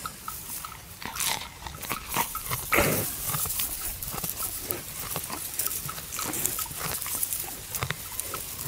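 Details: Buffalo lying at rest at noon in a farmer's field, chewing the cud: crunchy, grinding bites in a steady run of sharp clicks, several per second, with a louder burst near the three-second mark.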